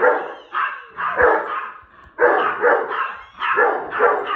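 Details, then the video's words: Household Rhodesian Ridgeback with a Yorkie barking at a girl visiting the home, reacting the same way each time she comes: loud, rough barks in clusters of two or three, separated by brief pauses. "Moyo my Rhodesian Ridgeback being rude to my daughters friend. And my Yorkie doesnt help!🤣"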